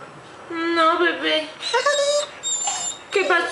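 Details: Male pet dog whining at home, as it does every morning, asking its owner not to leave for work: drawn-out tonal whines rising and falling, mixed with a woman talking to it in Spanish.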